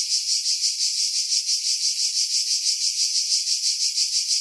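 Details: Cicada chorus in pine trees about 50 m above the sea at Pefkos Bay, Skiros Island, Greece, in July 2018; a dense, steady high buzzing pulsing about three times a second, wind filtered out of the recording.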